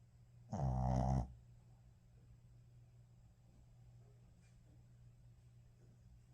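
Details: Shih Tzu snoring while asleep after hard play: one loud, low, rumbling snore lasting under a second, followed by near silence with only a steady faint background hum.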